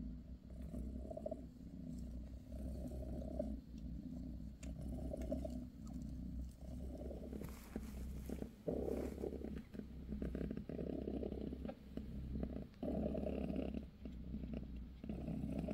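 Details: Bassy, British shorthair mother with kittens, purring while massaging them; steady low rumble with slow rhythmic swells, joined midway by bursts of rustling and fur-rubbing noise.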